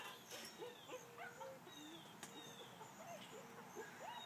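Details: Bernese Mountain Dogs meeting for the first time, one dog whining in a string of thin, steady, drawn-out tones with brief rising and falling slides, repeated several times, over a noisy background.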